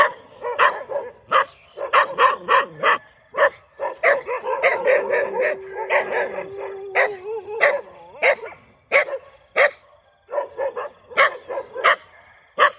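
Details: Morning barking from a dog: loud, clipped barks in quick irregular bursts, with a stretch of overlapping yelps and a drawn-out whining tone in the middle before the sharp barks resume.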